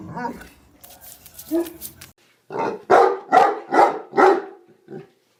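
A Neapolitan Mastiff gives a run of deep, gruff barks, about two each second, after a person speaks.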